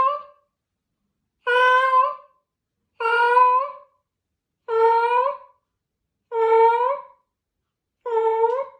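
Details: Cat in his final hours, semi-conscious, answering his family's comforting words with his last meows: six long, even, plaintive meows spaced roughly every one and a half seconds, each slightly rising then falling, with silence between.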